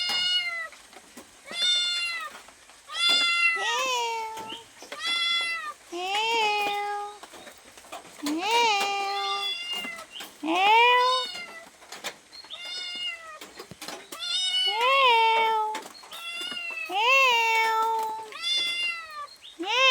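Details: Hungry cat asking for food, loud drawn-out meows that rise then fall, some ending in a lower dropping tail, delivered in bursts about every second, with faint human speech in the background.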